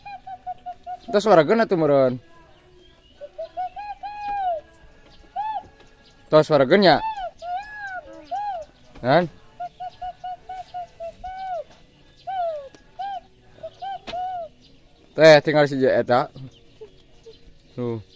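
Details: Sheep at feeding time bleating loudly in four bursts of quavering, harmonic-rich cries, each lasting about a second, separated by quieter soft tonal sounds and faint background noise.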